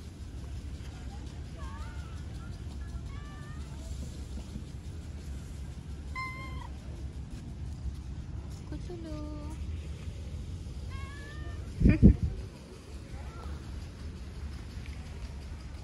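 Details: Stray kitten on a street, sitting on a lap and being petted, giving a series of soft, thin, rising meows spaced a second or two apart over steady low rumbling background noise and a brief thump.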